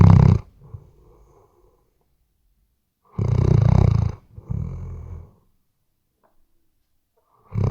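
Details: Sleeping Weimaraner indoors, recorded with a RODE NTG3B microphone, gives deep, rough snores in separate bursts of about a second, with quiet breathing pauses of two to three seconds between them.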